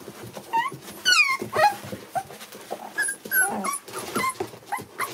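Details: A litter of seven American Bully puppies, born December 8, 2019, heard indoors: high squeaky whines that sweep up then down, trading back and forth in quick bursts about twice a second, with soft shuffling beneath.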